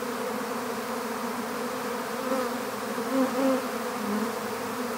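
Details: Honeybee swarm gathered for capture into an empty hive, giving a continuous low humming drone; a few louder, slightly higher buzzes swell briefly near the middle and end, as if single bees pass close.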